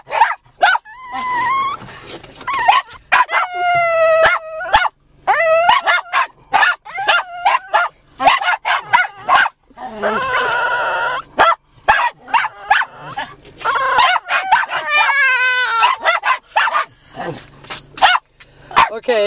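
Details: Excited 7 lb rescued Japanese Chin named Chey "talks" from a lap inside a parked car, eager to get out for a long park walk: drawn-out warbling whines and yowls, interrupted by frequent sharp barking from a Lakeland Terrier and a Chinese Crested.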